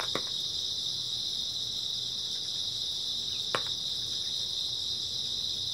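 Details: Grass insects on an early autumn night, a continuous dense high chirring chorus forming a steady band of sound, with two brief sharp clicks breaking through.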